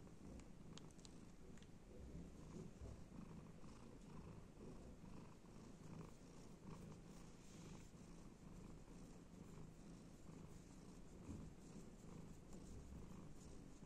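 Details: Pet cat enjoying petting and scratching, giving a continuous low throaty purr that rumbles evenly without pause, with faint soft rustles now and then.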